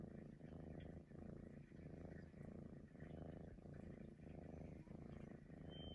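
A Maine Coon cat gives a low, rumbling purr that swells and fades about twice a second. Near the end, one brief, thin, high whistled note sounds over the purr.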